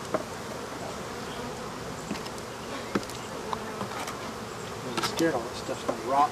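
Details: African honey bees buzzing as the rest of their hive is removed from a wall; continuous low buzzing drone with scattered knocks, scraping and short bursts of human voices.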